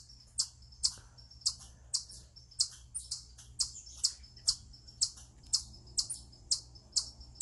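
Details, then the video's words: Eastern chipmunk on a rock, vocalizing in a described stress call: loud, sharp, very high chips repeated a little over twice per second, somewhat irregular, with a soft hum underneath. "Eastern Chipmunk Vocalizing Upon A Rock"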